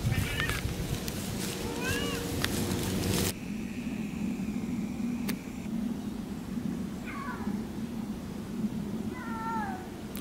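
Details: Two Siamese cats talking and howling on a three-hour off-leash walk exploring a small forest: several short wavering meows spaced a few seconds apart over wind rumble and rustling, with a brief steady tone in the background.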